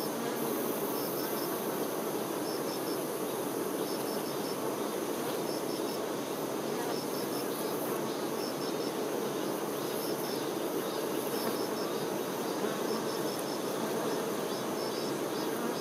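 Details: Worker honey bees attending the queen: a thick, continuous droning hum of many wings that holds steady throughout, with soft high-pitched pips repeating in small clusters every second or two.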